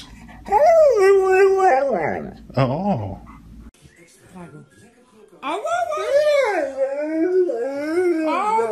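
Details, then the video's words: Dog making 'talking' vocalizations indoors: a sustained wavering howl-like tone for over a second, a short lower moan, a pause, then a long run of rising and falling yodel-like whines with human voices nearby. "หมาพูดได้ ดูไปมึนไป Funny Dog Talking"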